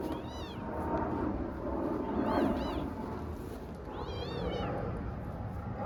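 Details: Young cat play fighting with a tiny kitten among Istanbul street cats; several high, arched meows with rising-falling pitch, in pairs and threes, over steady low background rumble.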